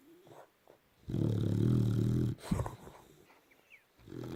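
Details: Boxer dog asleep at night, stretched across a king size bed, snoring: one long, loud, deep rumbling snore lasting over a second, followed by quieter breathy intakes and soft rustling.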